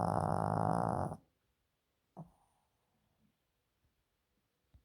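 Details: A sleeping Yorkshire Terrier snoring. One loud, rough, buzzing snore lasts about a second, then near silence broken by a few small snuffles and soft clicks in a small room.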